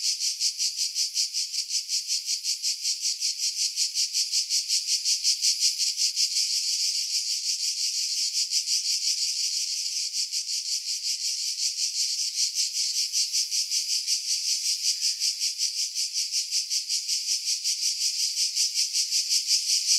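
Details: Cicadas in July 2018 on Skiros Island, Greece, singing in pines about 50 m above Pefkos Bay; a relentless shrill buzz pulsing evenly around three times a second for the whole stretch.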